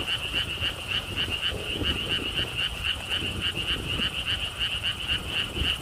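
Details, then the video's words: Frog chorus from the lotus ponds of a Siheung theme park in Korea: quick, evenly repeated high clicking pulses, roughly four each second, over a faint background of wind and distant low noise. "돌담길, 바람, 개구리 소리를 품은 연꽃 테마파크.Stone wall path, wind sounds, and frog sounds with Lotus theme Park."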